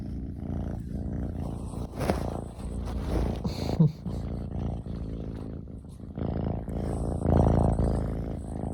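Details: Male ragdoll kitten, born June 2022, purring while being affectionate indoors at home; a steady low rumbling purr throughout, interrupted by brief handling noises and rustling around two and four seconds, growing louder near the end.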